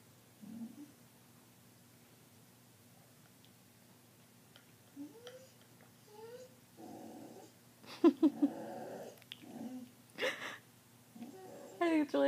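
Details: Indoor pet dog making her nightly chatty screech during TV time: short scattered squeaks and rising whines, building into louder harsh squealing bursts toward the end, over a low steady hum, with human voices mixed in.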